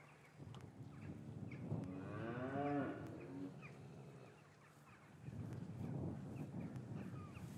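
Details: Cows lowing in an English cattle yard on a winter's afternoon, calves separated from their mothers, recorded on a matched pair of Rode M5s: one drawn-out, wavering moo in the middle over a low, busy yard murmur, with fainter lowing near the end.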